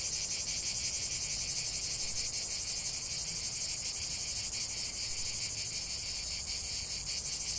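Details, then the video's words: Cicada chorus filling the air with an intense high-pitched buzzing, rapid pulses running together into a constant metallic shimmer. "45 min de chant des cigales"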